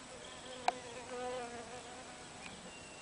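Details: Solitary miner bee, resembling a honey bee, seeking its burrow entrance on a muddy bank, wary after soil and vegetation were disturbed; a steady, low, harmonic-rich buzz hums through, with one sharp click and faint high bird notes.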